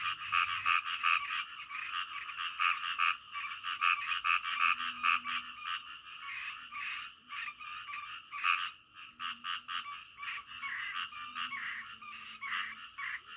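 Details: Nighttime frog chorus with steady rapid croaking, pulses overlapping in a dense rhythm, a faint high trilling insect-like sound joining in near the end.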